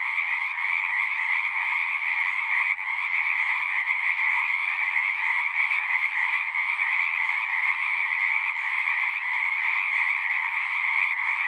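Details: Large group of frogs singing at a pasture pond, recorded on a Zoom device; a constant rippling trill chorus with slight pulses in loudness and no other voices.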